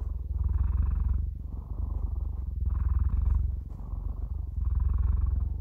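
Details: Cat purring: a deep, steady, buzzing rumble that swells and fades in alternating breath phases, with brighter and softer stretches about every second, and no other sounds.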